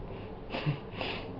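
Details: English Bulldog Dallas, a female about a year and a half old, fast asleep on a kitchen table indoors; two breathy, wheezing snorts about half a second apart, rough and airy, in a quiet room.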